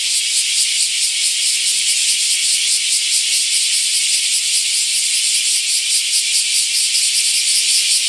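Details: Summer chorus of bear cicadas at Daitokuji Park in Nagasaki, described as almost noisy; harsh, rattling buzz throbbing in quick regular pulses, about two per second, filling the whole recording.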